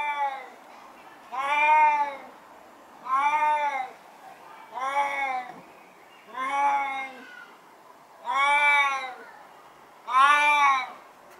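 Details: Max, a 16-year-old deaf and blind Siamese cat in his garden, gives loud, drawn-out, nasal meows about every one and a half seconds.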